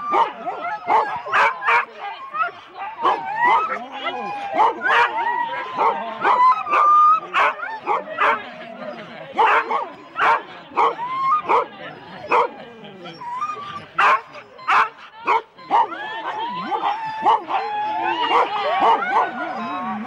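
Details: Husky teams of four dogs lined up for the complete start at Rendlesham, January 2016, taped on analogue cassette: nonstop clamour of high yips, barks and wavering howl-like whines from many dogs, with people speaking beneath.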